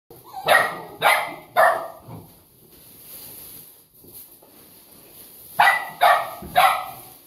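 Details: Golden Retriever, two months old, giving three sharp barks about half a second apart, a quiet stretch, then another burst of three to four bright barks near the end.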